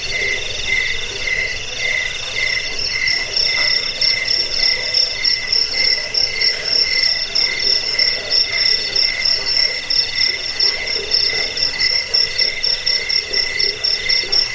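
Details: Crickets offered as a rat repellent, sleep aid and song tutor for cage birds: steady pulsed chirping in two high bands, a lower trill near the middle register and a sharper, higher beat, continuous throughout with faint low background hiss.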